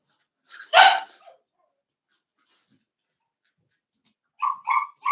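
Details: Indoors, a blenheim Cavalier King Charles Spaniel puppy from a five-pup litter born to Paris and Spike gives one sharp, bright yip, then quiet, then a pair of thin, high whining cries.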